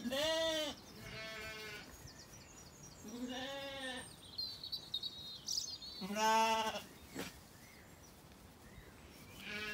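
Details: Zwartbles lambs, recently weaned and settled, wandering in an orchard in County Kilkenny, Ireland, on an evening: four loud harmonic bleats, some wavering, at uneven intervals, with faint birdsong between them.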